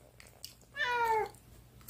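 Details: Cat indoors giving a single drawn-out meow, about half a second long, falling slightly in pitch, in an otherwise quiet room.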